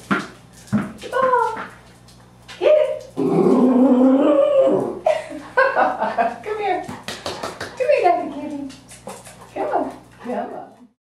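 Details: A Norfolk Terrier puppy playing fetch at a boarding kennel gives high whines and a long throaty "wooo" grumble, with a person praising it nearby.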